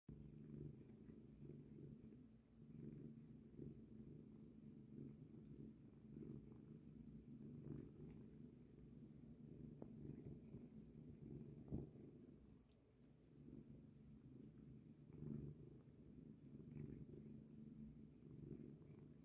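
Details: Cat washing its face, purring steadily throughout: a continuous low, even rumble with a slightly softer dip about two-thirds of the way through, and occasional faint ticks from grooming.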